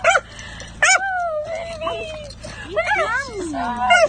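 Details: A male dachshund, left at the owner's parents' home during her short vacation, greets her return with gleeful cries. Long, wavering, high whines rise and fall over a few seconds, with short yips at the start and a woman's voice mixed in.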